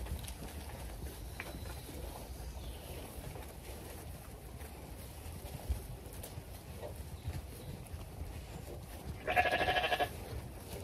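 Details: On a regenerative farm in County Kilkenny, Ireland, in mid-February, a single loud, wavering sheep bleat near the end, about a second long, over a steady low background murmur; sheep were around their feed and mineral buckets.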